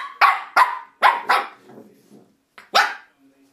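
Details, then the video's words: Shih Tzu puppy Misty barking at a door stop she is attacking: four sharp, high yaps in quick succession, a brief quiet, then one louder bark. "Shih Tzu puppy attacks Door Stop."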